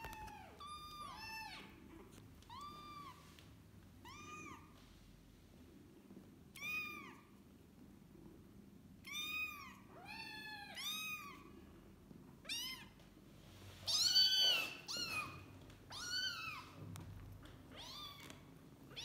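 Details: Kittens with their mother cat indoors meow over and over. A rapid run of short, high, arching mews keeps overlapping and grows louder near the end.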